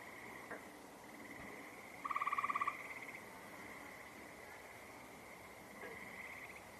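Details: Frog calls in the open: a brisk rattling trill of rapid even pulses near the middle, a soft knock before it, and a continuous high buzz with distant trills underneath.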